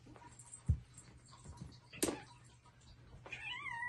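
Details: Playing Bengal kittens: sharp knocks and thumps from the play, then a single rising and wavering meow near the end over a low constant hum.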